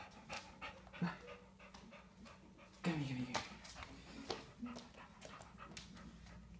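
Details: English Bulldog at play, recorded close up, panting in rapid, breathy, irregular bursts, with a person's quiet voice and a brief whimper-like tone in the middle.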